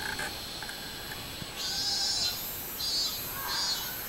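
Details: Robust cicada, recorded 24 July 2016. After a quiet, hissy opening with brief lower tones, shrill buzzy pulses start and repeat about every half-second through the rest of the recording.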